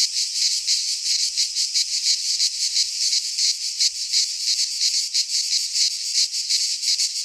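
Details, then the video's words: Cicadas singing in midsummer in a pine forest in Greece: a dense, hissing buzz held without pause, pulsing in quick throbs several times a second. No other sounds stand out. "Cicadas singing in midsummer - Nature sounds from the Greek fauna - Sounds of cicadas"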